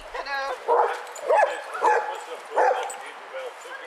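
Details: Basset Hounds, eight walking together on a group walk at Burghead Bay near Elgin, Scotland, on 7 September 2014; a sustained tonal opening note, then four loud, harsh, harmonic barks or bays spaced roughly every 0.6 seconds, with human voices in the background.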